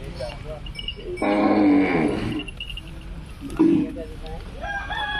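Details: Young Punganur calf letting out one long, full-throated moo lasting over a second, followed by a short bleat, with voices and murmur in the background.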